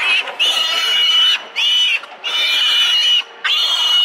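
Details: Greedy piglets fighting over milk at a fat sow; continuous shrill high squeals in long bursts of about a second, broken by brief gaps, several animals overlapping.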